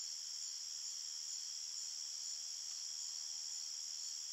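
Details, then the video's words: Forest crickets chirping after dark: a continuous, even, piercing trill stacked in high layers, with a soft pulsing texture and a quiet background. "Crickets Chirping Sounds"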